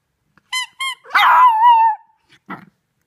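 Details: A 3-month-old female Shih Tzu puppy howls at a squeaky toy, the first time she has done so with it: two quick high yips, then a drawn-out, wavering wolf-like howl that slowly sinks in pitch.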